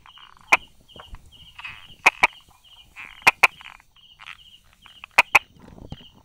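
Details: Brauer's tree frog calling from among rock crevices and small grass on 22 July 2016 at 10:44, giving sparse dry clicks, single or in pairs, spaced about a second apart, against a faint high pulsed buzz.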